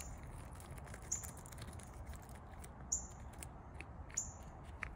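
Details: A chipmunk stuffing peanuts into its cheeks gives three short, piercing high chirps at irregular spacing, with faint clicks and patters between and a low background rumble throughout.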